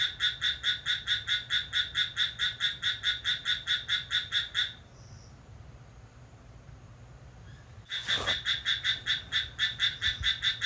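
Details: Midnight cricket song recorded on 6 July. Rhythmic high, buzzy chirps stop for about three seconds, and a sharp click sounds. The chirping then resumes at the same quick, even pace.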